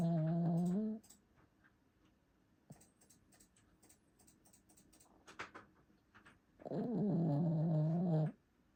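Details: Sleeping pet dog snores with a steady droning tone that fades out, then after a pause of several seconds with faint ticks and rustles a longer, strong snore lasts over a second.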